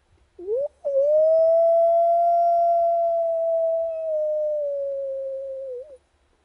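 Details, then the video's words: Wild dog howling at a camp: a short rising note, a brief break, then one long steady, pure-toned howl held for about five seconds that sags slightly lower near the end and finishes with a small upward flick. "Wild dogs howling at camp"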